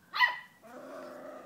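An English Springer Spaniel gives one sharp, high bark, then a lower, drawn-out grumbling sound.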